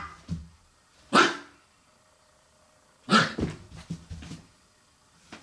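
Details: Black Shiba Inu puppy playing indoors because it is cold outside, giving two sharp, loud barks about two seconds apart, followed by scuffling and knocking sounds of play in a small room.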